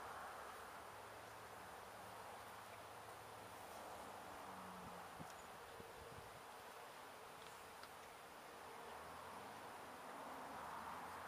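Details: Gentle honey bee colony, resident at least one season, being removed from a house window in Edinburg, Texas, near sunset: a soft, steady, diffuse hum of many bees drones on without pause, with faint scattered ticks.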